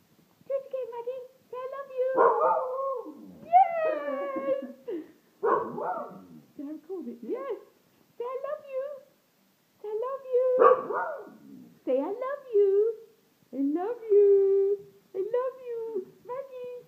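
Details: Pet hound indoors, coaxed by its owner into saying "I love you". Repeated short, tonal, speech-like yowls that bend up and down in pitch alternate with a woman's voice repeating the phrase.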